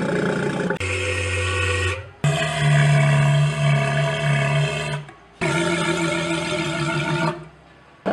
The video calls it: Sea Lion Sounds - Good Animals Voices